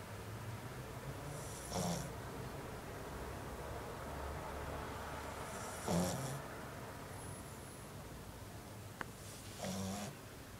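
A French bulldog snores in slow, rasping breaths roughly every four seconds.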